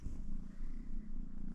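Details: A domestic cat that wandered up to a truck at night purrs steadily: a low, even rumble that pulses in rapid rhythm without pause, with faint background hum.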